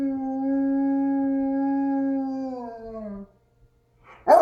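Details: One long, even howl from a dog reacting to an ACA P-50 tornado siren played in another room. It holds a steady pitch for about three seconds, then drops away, and a sudden loud sound cuts in right at the end.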